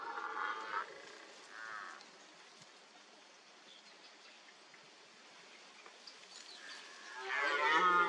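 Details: Red deer stag at a mud wallow during the rut, where stags spray mud with urine, roll in it and rake it with antlers to leave scent marks; hoarse harmonic bellows open the recording, a short one follows, and a louder one closes.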